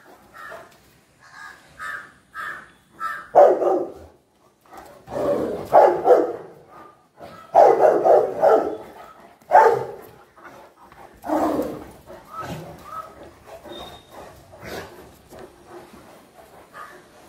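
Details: Dogs in a household with Fila Brasileiro brothers and a Great Dane, giving loud, deep, rough barks in irregular bursts, some quick doubled barks and short higher yelps between the heavier ones.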